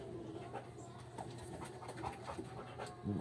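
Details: Coco, a Belgian Malinois, panting during obedience training; soft breathy bursts come quickly, about three per second, over a low steady hum, with a brief low voice right at the end.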